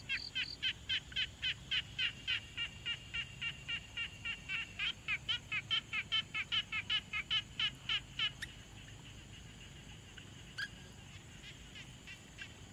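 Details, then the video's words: Frog at a quiet pond, captured on a Tascam Portacapture X6, giving a long run of rapid pulsed notes near three per second, overlapping calls thickening midway before stopping abruptly; then quiet hiss with a few faint clicks. "Frog Sounds| #001 |Quiet Pond Nature Ambience"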